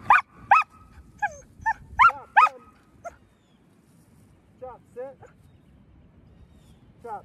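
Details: Eleven-month-old Samoyed in board-and-train, a dog that likes to pull on the leash, gives a run of high, harmonic whining yelps, several packed into the first two and a half seconds, then a few more after a quiet pause.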